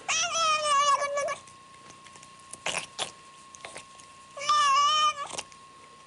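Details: A house cat gives two long, loud, quavering meows, the first over a second long and the second slightly shorter, separated by thumps and knocks, while a constant high electronic tone hums underneath.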